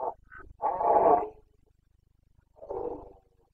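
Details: Carpathian red deer stag during boncănit, the autumn breeding season in Bucovina's mountains, 29 September 2022: a deep, rasping, sustained bellow of nearly a second, then a shorter hoarse groan after a pause.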